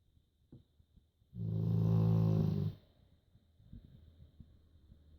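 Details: Pet dog Joschi, asleep, lets out one drawn-out low snore of about a second and a half, a rumbling buzzy drone, between quiet breaths and faint ticking in a small room.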